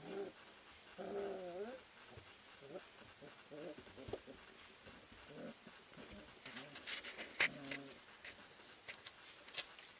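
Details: Ari and Grace's three-week-old pups play-fight inside the whelping house at Endurance Kennels, a sprint mushing kennel. Wavering, quavering whines open the recording, followed by short yips and a scuffling, clattering stretch near the end.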